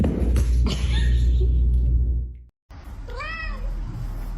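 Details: Pet cat indoors letting out a short arched meow that rises then falls, after a stretch of loud low rumbling background noise and a brief silence.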